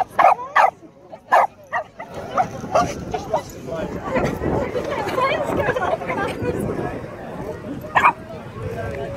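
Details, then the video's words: Dog barking at a donkey: sharp, loud barks in a quick cluster at the start and a single bark near the end, with human speech and general commotion filling the middle. "Dog barking at a donkey."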